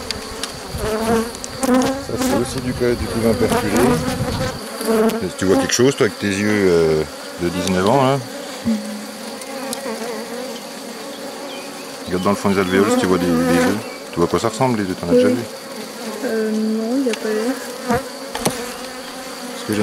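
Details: Honey bees buzzing around an opened hive on 3 May 2021 while a drone-laying colony is being rescued. Loud, wavering buzzes of individual bees passing close come in bursts, with quieter stretches of steady background hum between them.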